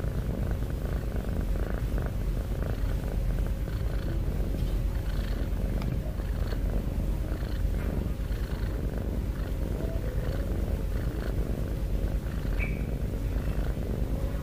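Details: Heavy-breathing cat snoring, a constant deep rumbling drone without pauses, steady in volume across the whole stretch, with a few faint higher ticks and a short chirp-like sound late on.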